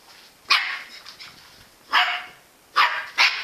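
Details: Jack Russell Terrier named Engy barking: four sharp, bright barks spread across the clip, the last two close together, with a quiet room between them.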